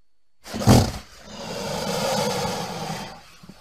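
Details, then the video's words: Crocodile letting out a short, low grunt, then a long breathy hiss that swells and fades over about two seconds before ending in quiet. "Crocodile sounds"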